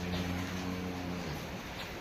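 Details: Holstein Friesian cow on a dairy farm, calved five or six days earlier, gives a low, steady droning moo of about a second and a half with a clear layered tone, then fades into farmyard noise and background murmur.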